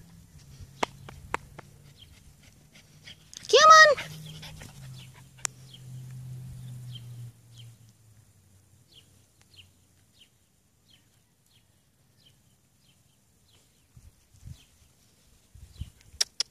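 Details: Rat Terrier puppies playing in a back yard; one short, high, drawn whine rises and falls, followed by a low hum, scattered soft clicks and long quiet stretches.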